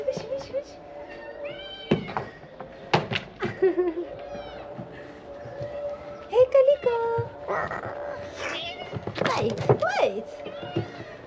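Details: Hungry ginger kittens of a large stray family crowding the food box, giving repeated short rising and falling meows mixed with knocks and a person speaking.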